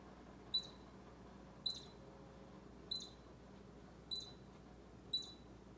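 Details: Baby squirrel squeaking steadily beside Bushy, an orange cat twitching his tail to the rhythm; five short, shrill squeaks about every 1.2 seconds above a faint low hum.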